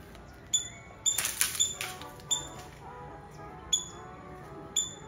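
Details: Squirrel recorded in Nazareth, Tamil Nadu, India: bright, piercing chip notes spaced roughly every half second, with a brief burst of hissy noise near the start and a low hum underneath.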